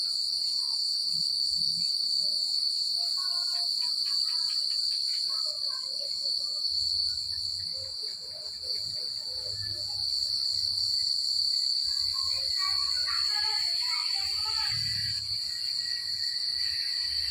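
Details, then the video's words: Continuous shrill cricket chorus on a rural night, pulsing rapidly without pause; fainter clustered chirps and twittering notes appear midway and toward the end, with a brief dip in overall loudness around eight seconds. "The Sound of Crickets at Night"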